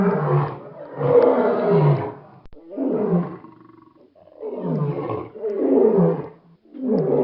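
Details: A lion (Panthera leo) gives a series of deep, rasping roars, each lasting about a second or two.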